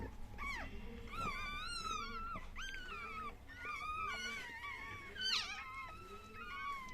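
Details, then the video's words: Chihuahua during the moment of giving birth: a run of thin, high whining squeals that rise and fall in pitch, several overlapping, under steady background hiss. "chihuahua doğum anı"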